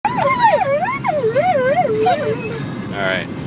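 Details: Female pet dog riding in a car, worked up at a motorbike just ahead. She gives a high, wavering, yodel-like whining cry that rises and falls repeatedly over about two and a half seconds, with engine rumble underneath and a short burst of human voice at the end.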